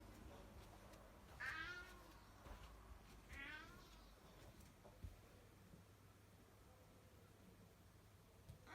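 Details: Pet cat making odd vocal noises: two wavering, rising-and-falling meow-like calls about two seconds apart, each roughly half a second long, followed by quiet room noise with faint clicks.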